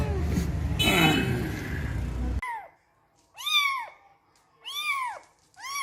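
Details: Cat or kitten giving three short arched meows, each rising then falling, spaced about a second apart after a brief noisy opening passage with faint music-like sound.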